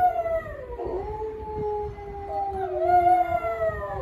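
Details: A household dog's long howl: a steady tone dips and recovers, then swells louder and glides up near the end, with faint low-frequency hum behind.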